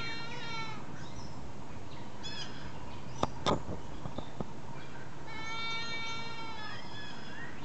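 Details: Snickers the goat, unhappy that his humans have left the pen, bleats in long wavering cries three times, at the start, near two seconds and again near the end, with a brief clatter between them.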